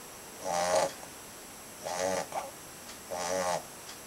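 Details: A 2.5-month-old Labrador Retriever puppy snoring, three raspy, buzzing snores about every 1.3 seconds, each followed by a short softer catch, in a quiet room.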